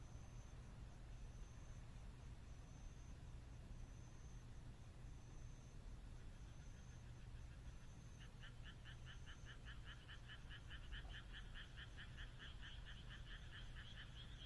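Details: Frogs calling on a moonlit night in the Japanese countryside: after a quiet start, rapid pulsed rattling trains with a bright upper tone begin and run to the end, over steady low rumble and a high insect chirp repeating about every second.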